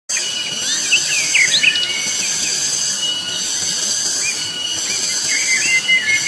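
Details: Loud cicadas on Gunung Pabangbon, a dense, steady high-pitched shrill drone holding unbroken throughout, layered with scattered short chirping bird notes in the middle range.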